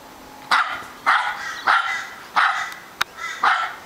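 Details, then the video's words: Charlie the Aussie Terrier in a rapid run of barks, five or six sharp yaps roughly every half second to second, with a brief click between them and a soft hum in the background. "Charlie the Australian Terrier has a barking problem!"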